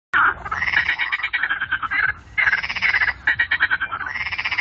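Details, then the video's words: Frog chorus at the Fasaneriesee lake: dense overlapping croaking and rapid pulsed trills, bright rattling bursts in long runs with brief pauses between waves of calling. "Froschkonzert am Fasaneriesee"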